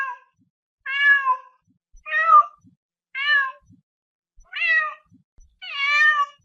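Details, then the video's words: Pet cat repeating short, insistent meows, six calls over about six seconds, some bending upward at the start, with silence in between and no other sounds. "SOM DE GATO"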